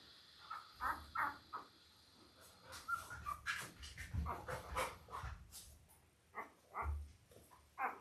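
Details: Five-day-old Labrador Retriever puppies from a litter of eight, five male and three female, born October 15, 2023, to mother Belle, on an indoor puppy cam; scattered short high squeaks and little yelps amid soft shuffling and bumping.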